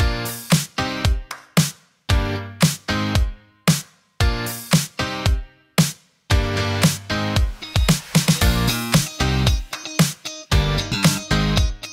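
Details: Upbeat funky pop music with a strong punchy beat plays throughout, with no animal sounds.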